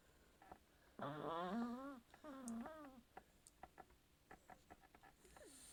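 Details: A Chihuahua snoring until it wakes itself up. Two drawn-out, tonal, wavering snores with a strong harmonic ring fill the first three seconds. Scattered soft clicks and taps follow in a quiet indoor room.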